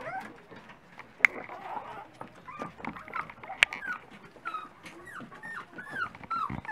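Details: Dachshund puppies at breakfast time give scattered high whines and short yips, curved rising and falling squeals among sharp clicks and knocks of feeding and movement.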